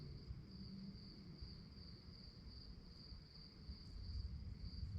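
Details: Night-time crickets keep up an unbroken high-pitched trill, evenly beaded with quick pulses, while a soft low rumble runs underneath and swells slightly toward the end.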